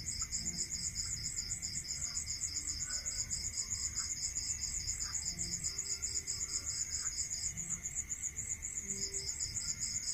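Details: Crickets singing at night in a rural area, two rapid, regular high pulsed trills running together, the lower one halting near the end then restarting, with faint scattered chirps and a steady hum behind.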